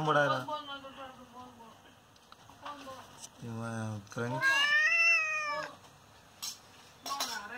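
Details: An injured father cat, hit by an unknown person, gives two long, wavering meows in the middle, the second higher and drawn out. Human speech comes before and after the meows.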